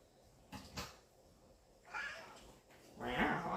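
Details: Pet cat, a male, talking indoors: two short, quiet meows near the end, the second rising and drawn out, heard after a person's speech.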